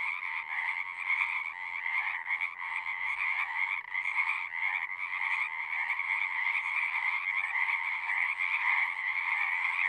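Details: Frogs in full chorus at a pond in a horse pasture, recorded on a Zoom device: continuous, even, buzzing trills layered densely throughout, with no breaks in the calling.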